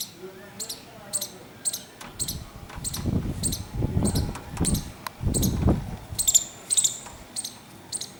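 A squirrel gives sharp, high clicking alarm notes, repeated about twice a second.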